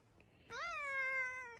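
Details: A kitten gives one clear, drawn-out meow lasting about a second, steady in pitch and slightly falling at the end, with a quiet room behind it.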